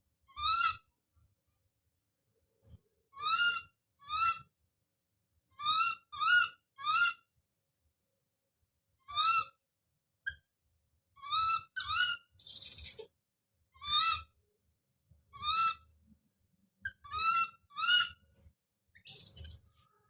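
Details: Baby monkey Don calling out: short, clear, rising-and-falling whistled cries, often in pairs or triplets with brief pauses, plus two harsh, noisy screams near the middle and end.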